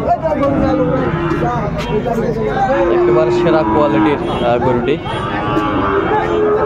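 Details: Sahiwal bull calves at a busy cattle market in Chattogram, Bangladesh, on 13 December 2024, while a farmer buys. A drawn-out low moo rises midway through, nearly buried under constant crowd chatter and a man talking loudly.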